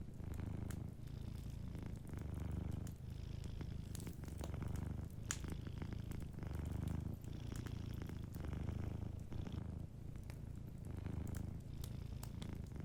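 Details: Cat sleeping near a cozy fireplace, purring continuously in a low rumbling drone that pulses with inhalation and exhalation every second or two, accompanied by frequent sharp fire crackles.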